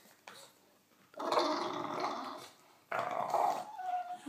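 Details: English bulldog named Alan having a chat: two stretches of rough, throaty grumbling and moaning, the first lasting more than a second, the second ending in a short higher whine, with quiet pauses between.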